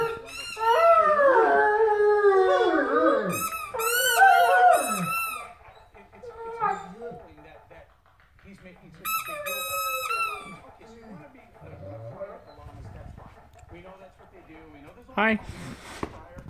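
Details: Two Great Danes howl together in long, wavering, overlapping tones that rise and fall.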